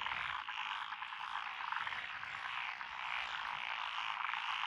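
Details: Frogs chorusing in lotus rice paddies beside a country road in Echizen, Fukui, Japan, 12 June 2021, from Japanese tree frogs, pond frogs, wrinkled frogs, Schlegel's and forest green tree frogs; a dense, steady, rasping wall of croaks with no pauses.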